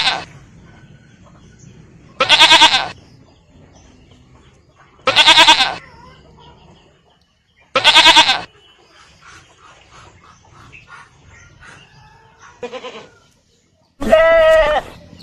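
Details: Goat bleats repeated at uneven intervals, harsh and wavering, with a higher, more drawn-out final bleat and a short softer call before it; light background noise between calls.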